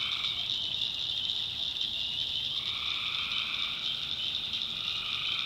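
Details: After dark in the North Carolina backwoods, a swamp full of tree frogs gives a relentless shrill trilling; a lower buzzing layer fades out early, then swells back in for the second half.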